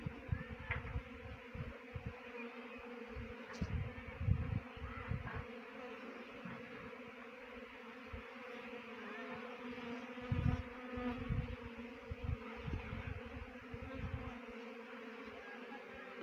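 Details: Honey bee swarm being trapped near Chakrata, Dehradun, Uttarakhand: a steady, low droning hum with layered overtones runs throughout, broken by frequent dull thumps and knocks from handling or wind.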